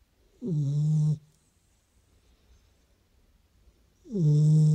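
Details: Beagle asleep and snoring, two low buzzing snores about three seconds apart, each with a breathy hiss, silence between.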